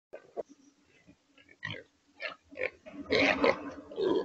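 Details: Feral hogs held in a corral trap in Texas, before being loaded for transport: scattered low grunts at first, then a run of harsher, louder grunting and squealing over the last second or so.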